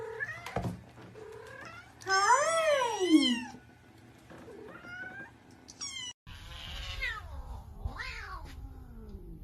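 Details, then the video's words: Seven-week-old kittens on the morning of their checkup: one loud, wavering, descending meow stands out, with thin higher mews, knocks and soft handling noises around it. "Cat Sounds"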